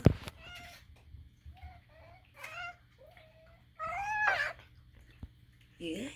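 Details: Short chirping meows from Moo, a pet cat indoors, come in a string of brief rising calls with soft talk and small knocks around them.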